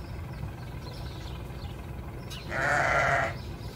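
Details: Sheep bleating: a single steady, buzzy bleat lasting under a second near the end, over a constant low rumble of background noise.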